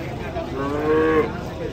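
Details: Large cattle being unloaded from a truck; one short, mid-pitched moo swelling and ending abruptly, over steady engine rumble and background noise.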